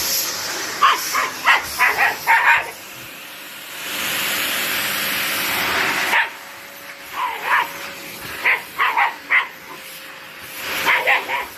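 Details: White Shiba Inus Mochi and Kome, living deep in the mountains, bark against a vacuum cleaner: clusters of sharp, high yips in rapid runs of four or five, separated by a loud whooshing surge of vacuum noise.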